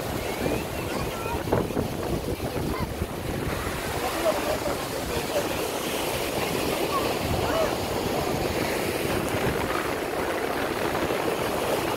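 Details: Surf breaking steadily on a Kerala beach, with wind buffeting the microphone and faint voices in the background.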